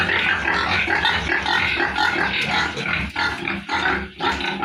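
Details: A crowd of farm piglets squealing and grunting continuously, loud shrill calls layered over low rumbling, with brief dips near the end.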